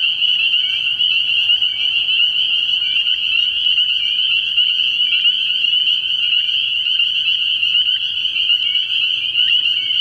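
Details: At a frog pond on an early-year night, a massed spring peeper chorus rings without pause, overlapping high peeps forming a bright steady drone, other frogs trilling faintly below.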